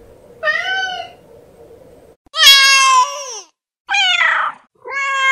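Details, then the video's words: House cat giving four separate meows, the first soft over a faint low hum, then louder, harsher, drawn-out cries with bright rasping overtones, each ending on a falling note. "GATO MIANDO"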